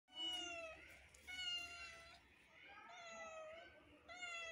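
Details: A kitten gives a run of high, thin meows, each a drawn-out wavering cry; other kittens watch in surprise at this neighbour kitten's voice.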